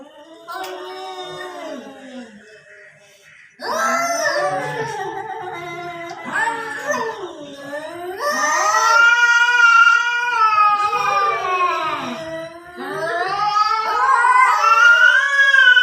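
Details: Quarrelling cats outside a house give sustained, whining caterwauls. The drawn-out yowls swell and bend upward, grow louder and more strained toward the end, with only one brief quiet gap early on.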